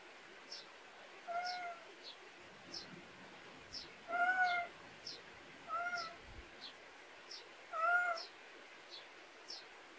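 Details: Cat in a countryside backyard in Korea during a daytime nap scene; short soft meows with a flat, slightly arched tone come about four times over ten seconds, over steady high, regular chirping and a quiet outdoor hiss.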